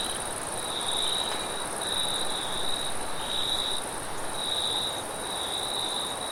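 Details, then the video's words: Crickets calling at night amid forest wind, shrill trilled bursts roughly once a second over a constant high shimmer, with a low rumbling rush of air underneath. "Crickets And Wind Sounds At Night"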